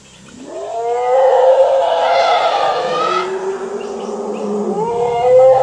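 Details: Wild Asian elephants, two herds meeting and presumed to be competing for territory, at a reservoir in Phu Khiao Wildlife Sanctuary, Thailand, 3 March 2019 around 17:47; a rising harmonic call swells into loud, sustained trumpeting roars lasting about five seconds.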